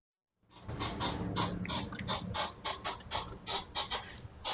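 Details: Two European hedgehogs courting at night beside a house, caught by a trail camera on 28 June 2023 around 2am, puffing like little steam engines: rapid breathy huffs, about three a second, uneven in rhythm after a brief silent start.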